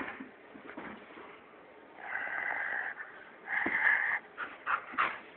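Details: Tuscany, a 12-year-old female Siberian Husky kept as a pet, gives soft, wheezy, howl-like vocalizations indoors, with short bursts of rising and falling moans near the end; a person talks to her before and after.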